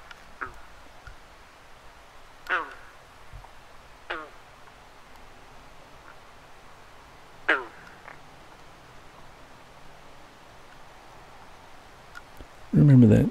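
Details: Frogs on a backyard pond at dusk in July, with fireflies about, give a few short, pulsed croaks a couple of seconds apart over a low background hum.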